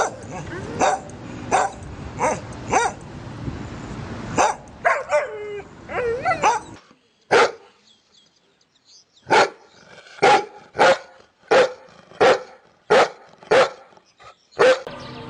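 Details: Dogs of various types barking in several spliced recordings: dense, rapid barks at first, then a quieter gap, then a steady series of sharp single barks spaced about half a second apart.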